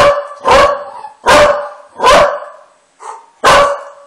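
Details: An angry pet dog reacts to played dog noises with loud, harsh barks, five of them in about four seconds, each one full and explosive with short gaps between.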